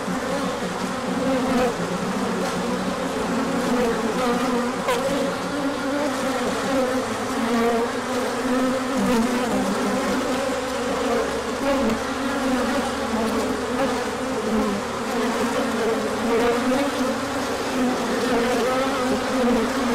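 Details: On 24 March 2024, with the sun out after colder days, bees pour out on a large orientation flight. A steady, many-winged buzz runs the whole length, droning hum tones shifting unevenly, with a few faint clicks.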